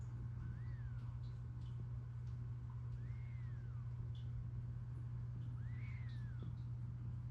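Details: Sleeping Siberian cat snoring: three thin whistled tones, each rising then falling, come about every two and a half seconds with its breathing, over a steady low hum.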